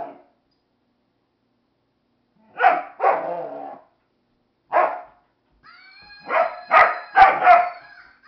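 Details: Jäger the dog objects to a Flying Monkey toy with sharp single barks spaced apart. A tonal squealing whine joins in near the end under a final rapid run of barks.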